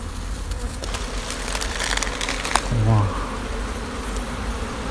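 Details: Honey bees swarming from an old, darkened sixteen-comb nest beneath an abandoned sofa as it is pried open; dense low buzzing hum, with a person's brief voice and knocking sounds over it.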